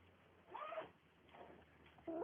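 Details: A greedy Siamese kitten makes short, tonal mewing murmurs while eating meat.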